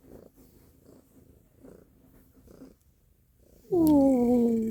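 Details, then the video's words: Stella the cat purring in soft, pulsing rumbles for about three seconds, then a pause and a sudden loud, drawn-out meow with a falling tone that ends the clip. "Stella's purring loudly / Cтелла громко мурлычет"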